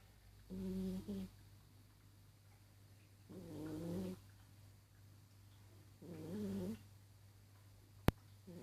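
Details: Persian cat snoring while asleep: three drawn-out, buzzy, rattling breaths at even intervals of about three seconds, separated by near silence, with one sharp click toward the end.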